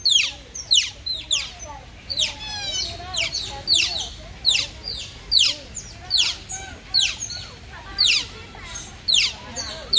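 Several otters give high, sharp chirps and squeaks, overlapping in quick bursts.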